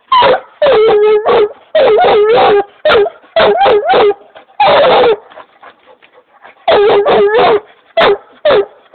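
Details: Black and Tan Coonhound named Jake, urged on with "Get him", giving loud excited barks and drawn-out bays with wavering, howl-like tails, in bursts separated by short pauses; a person's voice is heard before.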